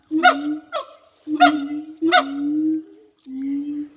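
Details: A siamang, the largest gibbon, which uses a throat sac to amplify its calls, sings with loud, honking calls in a halting series, each note full and slightly rising at its start.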